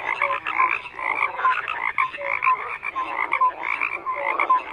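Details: Crowded frog chorus: rasping croaks overlap in quick bursts about twice a second, interspersed with short clear upward notes, steady and without other noises.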